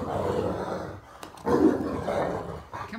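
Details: Great Dane named Max, lying in bed and arguing back as his owner and his sister Katie try to get him out; rough, broad growling vocal bursts in two main pulses, with a short thump between them.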